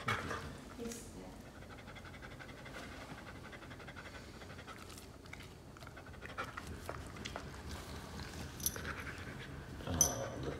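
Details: A one-year-old poodle-family dog, a male of nearly 60 pounds, pants softly in South Carolina. Steady, hushed, breathy rasps run through the stretch, with occasional louder clicks and scuffs near the end.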